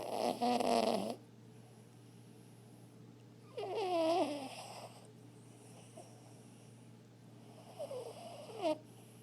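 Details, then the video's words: Three rough, fluttering snores from Rio, a chihuahua mix adopted from the pound after living as a stray, each about a second long, separated by pauses of a few seconds, the last one softer and broken. "Little chihuahua, big snore"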